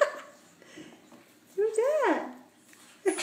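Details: Short-coated Chihuahua named Mason, up for adoption, recorded 23 March 2015: a single half-second whine that climbs then drops, in a quiet indoor room, with a person talking to the dog just before and after.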